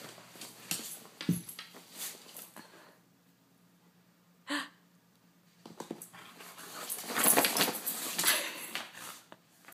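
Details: A female corgi grumbles and whines in short, breathy bursts, complaining about wearing a coat she does not like.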